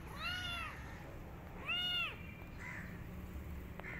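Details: Kitten hiding in a jacket after running away, giving two arched, whining meows about 1.5 seconds apart, followed by faint rustles and a light tap, with low steady hum throughout.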